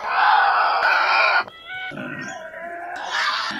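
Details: Harsh, grating scream from a Tasmanian devil, dropping into lower growling and grunting tones, then rising again into a rasping screech.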